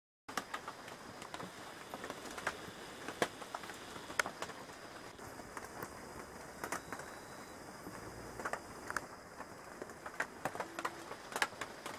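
Only soft pattering and scattered crackles over a steady background hiss, with no clear animal call.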